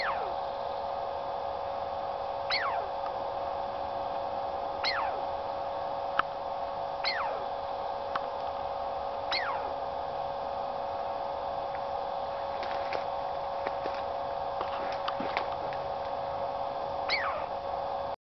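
A Douglas squirrel repeats clear, downslurred whistles, each dropping quickly from high to low, spaced a couple of seconds apart. A constant droning hum, like running water or machinery, fills the background throughout.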